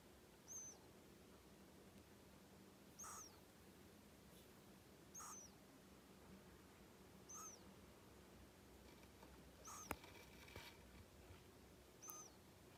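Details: Pet hedgehog, one of three kept indoors, a male born in January 2020, snoring while asleep: short, high, squeaky whistled breaths with a faint lower overtone, repeated steadily about every two seconds over a quiet room hum.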